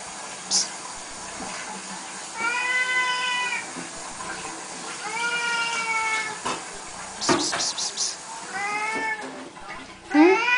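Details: At the twice-daily feeding ritual, Siamese kitties give several long, level meows spaced a couple of seconds apart, with clinks and clatter between them and a rising cry at the end.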